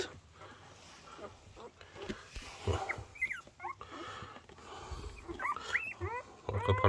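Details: Newborn Border Collie puppies, part of a litter of six born to the mother Coco three days earlier, give thin high squeaks that rise and fall in short bursts, mixed with nearby Korean speech.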